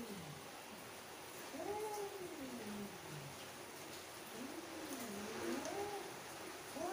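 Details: Angry mother female cat making low, wavering, moaning meows that rise and fall in long curving phrases, softer and more muffled, with faint background hiss.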